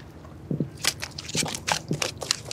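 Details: A black drum caught on live shrimp while sight fishing is heard drumming with low, knocking thumps in short pairs and singles, mixed with crackling handling noise.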